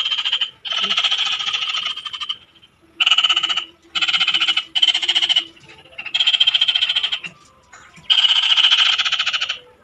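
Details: Frogs in the Philippine countryside giving loud, rapid pulsed croaks in bursts of about a second, separated by short gaps, several callers alternating in a noisy chorus.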